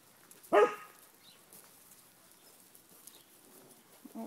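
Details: Corgis by the Volga river: one sharp bark with bright harmonics near the start, followed by quiet low background noise for several seconds.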